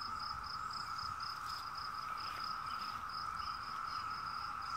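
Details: Steady droning chorus of 17-year cicadas, an even trill that never pauses, over a high, evenly pulsed insect beat.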